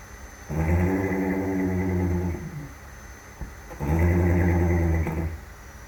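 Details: Young horse, one year three months old, snoring in its sleep: two deep, rough, droning snores, each lasting one to two seconds, separated by a quieter breathing pause.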